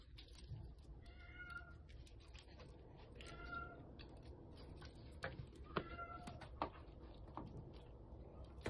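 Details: Rescued kittens, one fallen into a dark sewer and others left crying for hours in bushes, give faint, thin meows with bright harmonics at irregular intervals over steady low background rumble.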